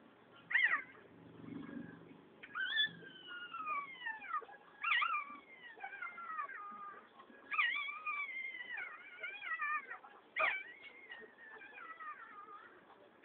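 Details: Domestic cat giving a run of long, drawn-out wailing meows, each starting high and sliding down in pitch with strong overtones, about five calls over thirteen seconds with short pauses between, a brief low rumble near the start.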